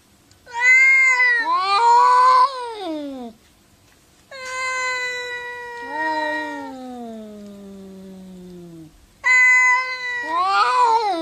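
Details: Domestic cats talking to each other in a run of loud harmonic meows: a rising-then-falling yowl, a long sustained call that slides steadily downward, and further strident meows at the end, with brief silent gaps between calls.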